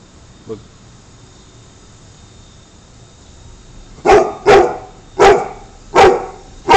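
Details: American Pit Bull Terrier named Spartacus, said to hate smoking, gives a run of five loud, sharp barks spaced about half a second apart after a quiet stretch with one faint earlier yelp; background hum.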